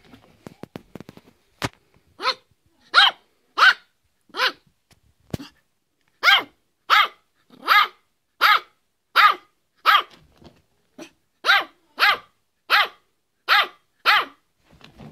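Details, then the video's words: Fido, a Yorkshire Terrier, delivers a long series of sharp, high barks at a steady pace of roughly one every 0.7 seconds, preceded by scattered clicks and taps, with a brief gap partway through. "Yorkshire Terrier, Fido, Barking"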